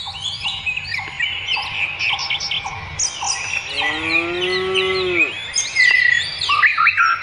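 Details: Cattle on pasture: a single long moo rises then falls away over about a second and a half midway through. Steady twittering and chirping songbirds fill the background, with a repeated short chirp in the first half.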